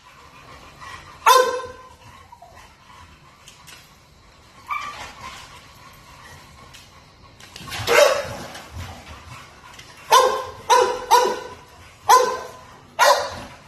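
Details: American Bulldog puppy named Khaleesi barking while playing: a single sharp bark, another a few seconds later, then a burst of five quick high barks in the last six seconds, with quiet gaps between.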